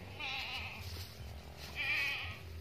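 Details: Boer cross goat bleating twice, each a wavering, nasal cry of under a second with a pause between, over a low steady hum.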